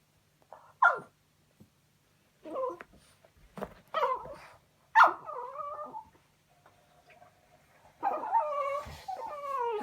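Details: French Bulldog, a pet dog, making whining noises after his toy goes under the sofa; short scattered whimpers and groans with gaps, ending in a longer quavering whine.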